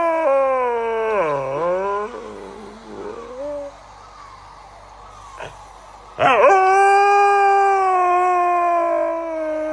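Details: Pet Siberian Husky howling: a falling-then-rising yodeling howl, a softer trailing moan, a pause, then a sudden loud howl held steady for several seconds.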